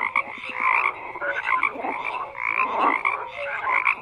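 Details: Many frogs croaking together in a dense chorus, overlapping rattling and pulsed croaks with short whistled notes, a steady unbroken din with no other sounds.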